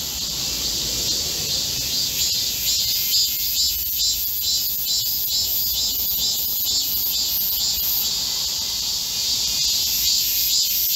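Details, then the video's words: Chorus of Korean cicadas in a green forest at midsummer during a heatwave, recorded 25 July 2024: a dense, continuous high-pitched buzzing shrill with a faint regular pulsing, about two pulses a second, steady throughout. "Korean cicadas, a chorus in a midsummer green forest | 한국 매미들의 한여름 초록 숲속의 합창"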